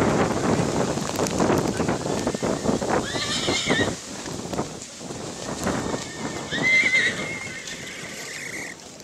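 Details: Black Forest draught horse mare at the Rossfest Zukunftspreis horse show in St. Märgen, Germany, on 10 September 2022; two shrill, wavering whinnies around mid-clip over loud crowd murmur, hoof clatter and outdoor noise.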